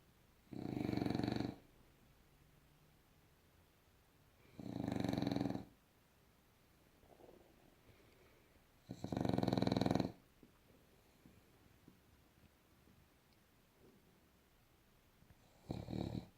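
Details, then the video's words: Bulldog lying on its back, snoring and undisturbed by anything: loud, rasping snores repeat roughly every four seconds, four in a row, with quiet breathing between them. "Bulldogge liegt schnarchend auf dem Rücken"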